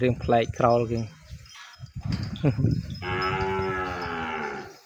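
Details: Calf in a pen, separated and kept away from its mother, crying out for her: two short harmonic moos in the first second, another brief bawl near 2.5 seconds, then a long sustained, higher-pitched wavering cry through the final two seconds.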